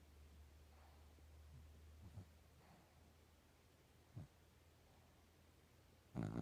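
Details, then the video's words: Pet dog Chico snoring indoors: soft, low, breathy snores come roughly every two seconds in a quiet room, with a louder, fuller snort at the very end. "Dog snoring"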